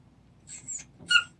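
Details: Dog indoors, Junggi, father of a 26-day-old puppy litter, wanting to climb up beside them: two short high squeaky whines, the second sharper and rising, over a quiet room hum.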